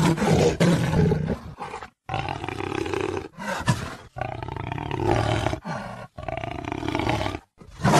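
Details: Jaguar voicing repeated hoarse, guttural roars. Long rough bursts with a low throaty rumble are cut by brief silences, and the bursts are of uneven length.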